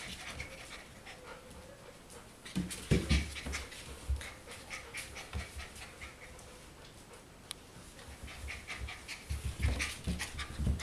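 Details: Four-week-old golden retriever puppies panting: rhythmic, breathy huffs come in quick bursts, first a cluster early on and another near the end, separated by a quieter stretch with a faint, thin whine-like tone over a soft indoor background.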